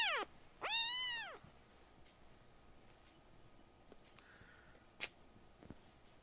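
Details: Rescued baby kittens being loud while the family cats sit together on a lap: one falling call at the start, then a clear arched meow with rich harmonics, followed by quiet room sounds and a sharp knock.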